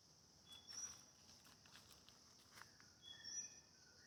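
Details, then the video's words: In a forest in central Kandy, Sri Lanka, near a dirt road among jackfruit trees, insects make a steady, high-pitched drone while footsteps crunch on leaf litter. "அந்த பூச்சிகளோட சத்தத்தை நல்லா கேளுங்க."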